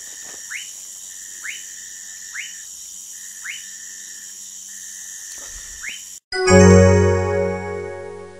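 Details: Orinoco lime tree frog recorded in Manaus, Amazonas, Brazil: short upward-sweeping notes repeated about once a second over a steady insect hum, then loud music takes over for the last two seconds.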